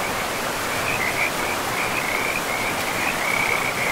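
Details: Frogs near a forest river, giving a near-continuous string of rapid, buzzy trilled calls at one steady pitch. Rushing water hisses throughout.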